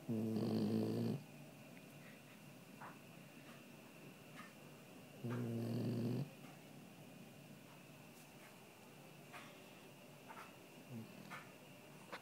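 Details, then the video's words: Dog snoring while asleep in the living room: two heavy, low, grating snores about five seconds apart, then quiet breathing noises against a steady high hum. "Snoring Dog"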